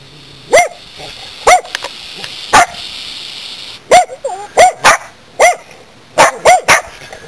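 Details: Country corgis in a front yard, warning their owner about a snake they discovered; loud, clear barks with a ringing tone, spaced irregularly with short pauses, some in quick pairs, over a quiet background.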